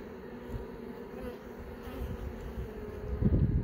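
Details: Honey bee hive hum while young bees emerge from brood cells; low buzzing drone, rising into louder rumbling handling noise near the end.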